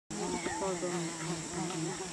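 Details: A giant otter in Peru gives a continuous buzzy, humming call with a wavering low pitch while it eats a large fish, having swum away from its group to eat in peace.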